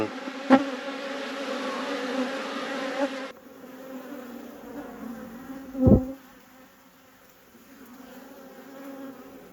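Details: Apiary honey bees buzz during a hive inspection: a steady low drone for the first few seconds, then a quieter hum, broken by two sharp knocks of equipment against the hive.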